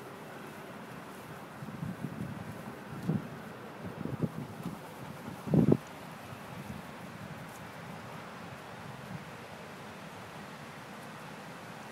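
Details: Outdoors in the countryside, wind buffets the microphone with low rumbling and rustling, a few brief thumps and bursts of noise near the middle.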